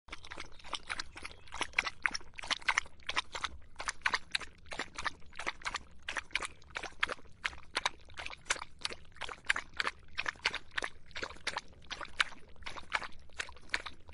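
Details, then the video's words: Dog quenching its thirst in hot summer, lapping water in a steady run of quick wet clicks and splashes, about three to four laps each second, close and quiet. "더운 여름 강아지가 목 축일 때 나는 소리 The sound of dogs on their throats in the hot summer"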